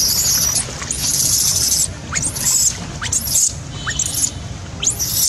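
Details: Baby macaque abandoned by its mother, crying: shrill, high screams in long sustained bursts, some with sharp rising or falling sweeps, broken by short pauses, over a low background rumble.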